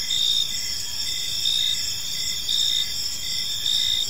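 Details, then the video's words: Several crickets calling at evening in a peaceful park, shrill sustained trills layered together, with rhythmic louder pulses repeating close to once per second. "Park Serenade: Cricket Sounds in a Peaceful Park"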